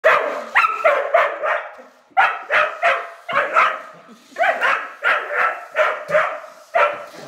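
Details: Rough collie, a female pet dog, barking at a child's radio-controlled toy car she treats as an enemy; sharp, high barks fired in quick bursts of three to five, with short pauses between bursts.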